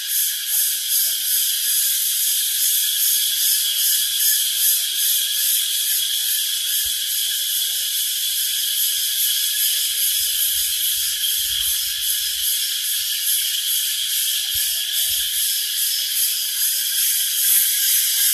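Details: A chorus of crickets by LingaMala Waterfall, Mahabaleshwar, Maharashtra, forms an unbroken, intense high shrill wall of sound with rapid pulsing, almost three beats per second, and a quiet low background rumble.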